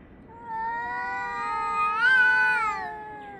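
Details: Cat yowling at another cat on 3 Av 5785 between 6:01 and 6:04 summer time; one loud, drawn-out moan that rises sharply in pitch near the end into a strained cry, then drops and fades, with a quiet background.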